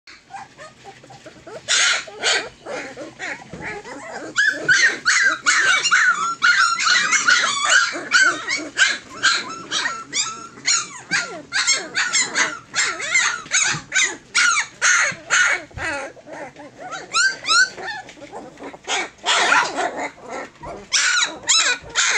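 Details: Litter of fourteen Tosa Inu puppies approaching three weeks old: a dense chorus of overlapping high whines, squeals and yelps, many callers at once with short bursts packed closely and few pauses.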